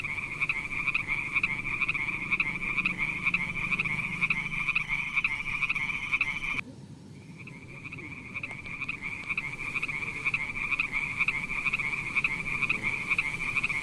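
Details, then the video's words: Frogs in a beautiful pond give a continuous high ringing pulsed chorus, broken by an abrupt cut partway, then the same overlapping calls resume steadily. "Funny little frog sounds"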